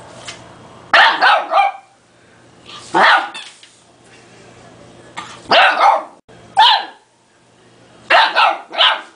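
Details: Two-month-old male Dogue de Bordeaux (French Mastiff) puppy, scared of and mad at a small toy, barking at it indoors: five sharp bursts of barks, some doubled or tripled, spaced by short quiet gaps.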